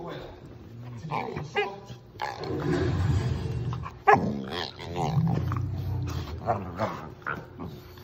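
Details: Puppy at play, giving low rumbling growls and harmonic moaning whines in bursts, with a person talking throughout and faint background music.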